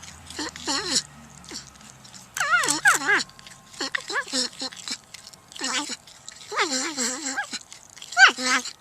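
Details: Porcupine voicing nasal, wobbling whines and squeaky moans in irregular bursts, some short and others drawn out with a bending pitch, over a quiet background with a low hum at the start.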